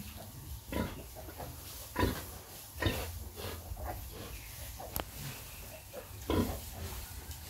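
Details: Sow nursing her piglets: short, rough low grunts spaced every second or so, with a few sharper squeaky calls and light rustling between them.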